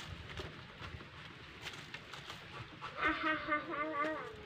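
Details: Domestic cat playing with a fish, uttering a drawn-out wavering meow in the last second and a half, after low rustling and faint background voices.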